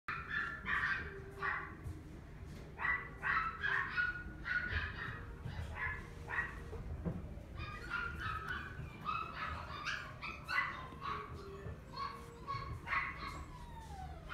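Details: Toy Poodle in a pet shop, giving a steady run of short, sharp, high yapping barks in quick bursts, some clustered, with occasional thin whining notes and a low background hum.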